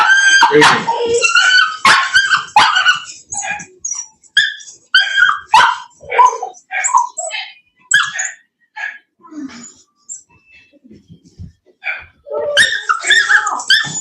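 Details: Cane Corso (Italian Mastiff) dogs kept by a breeder west of Nashville, Tennessee: sharp barks and high yips come in quick bursts, about one every half second, with a person talking between them.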